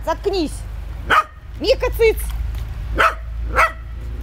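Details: While playing with water, a dog makes a few short, bouncing yelps with tonal, wavering overtones, then several spaced single barks.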